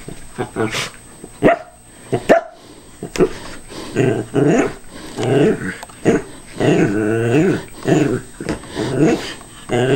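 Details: Indoors, a Cairn Terrier cautiously attacks a callous remover that is not running, mixing rapid snarling growls with short barks in a busy, irregular run of bursts, plus faint clicks.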